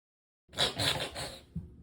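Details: Rescued house cat, one of three sharing a small one-story home, having the coughing-like fits a veterinary clinic identified as reverse sneezing: a harsh, noisy, snorting burst of rapid pulses lasting about one second, then a short fainter snort.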